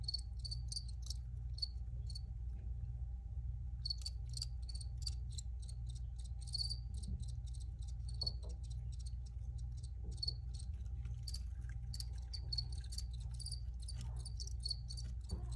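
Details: Recorded crickets give bursts of sharp, high chirps that stop for about a second and a half, then resume in a dense, uneven run, backed by a constant low rumble and a thin steady tone.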